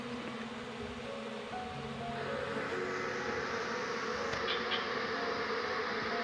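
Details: Wild Asian honey bee colony (Apis cerana) during transfer to a cultivation box after the queen is taken. A dense, rough buzzing swells louder midway and stays thick to the end, with a few faint knocks.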